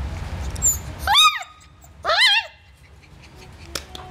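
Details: Purebred Dalmatian giving two short, high, arched yelps about a second apart. Each rises then falls with strong harmonics. Faint clicks and a low room hum follow.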